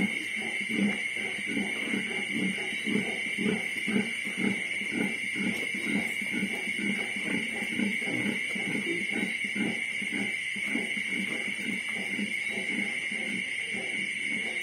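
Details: Twenty-five-day-old piglets together before weaning, producing rapid rhythmic short grunts, roughly several per second, continuing throughout, with a constant whining fan-like hum in the background.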